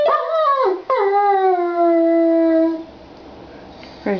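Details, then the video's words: ['Pet German Shepherd named Rocky howling with piano: a short falling note, then a long steady howl sliding slowly downward before fading, a faint yelp at the close.'] "Rocky the German Shepherd sings!"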